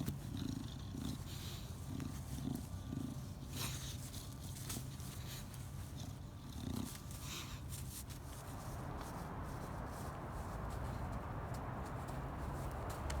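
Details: A female English Bulldog spinning and rolling on the ground in a planter makes low, rumbling, pig-like snorts and grunts in quick bursts.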